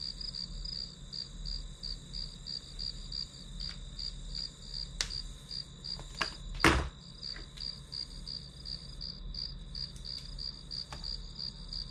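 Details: High pulsed chirping of grass insects continues at a quick regular beat while several sharp knocks and a loud thud, like a cupboard closing, break in near the middle, over a faint low hum.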